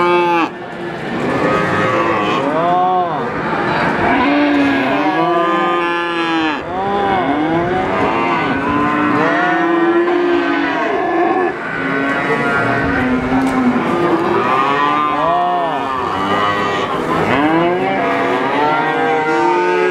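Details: Calf mooing among many others, short arched bleating moos repeated rapidly and overlapping almost without break, a busy herd chorus throughout.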